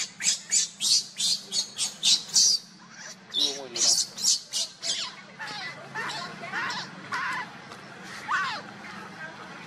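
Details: With Luna carrying Luno and Rainbow trying to take Luno from her, a monkey gives a quick run of sharp, piercing squeals, then softer wavering calls that rise and fall in pitch, with some background chatter.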